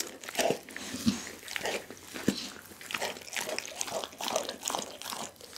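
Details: Pit bull Dougie chewing a whole chicken inside a small room: sharp bone crunches and moist gnawing sounds arrive roughly every half second to second, loud snaps standing out.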